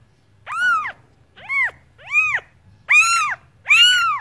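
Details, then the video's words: A cat gives five arched meows in quick succession, some short and some drawn out, each bending up then down, over a low background hum. "Cats Voice - Cats sound - Cats Meowing"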